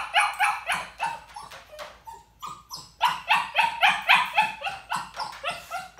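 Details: Young puppy barking in a crate while ignored, crate anxiety or demanding behaviour: quick high yapping barks in bursts, a short break with a single thin whine near the middle, then a dense regular series of barks about four per second.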